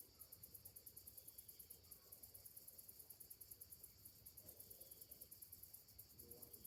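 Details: Summer morning chorus of cicadas, a thin high-pitched rhythmic ticking buzz pulsing steadily throughout, with faint low background hum and a brief higher note near the end.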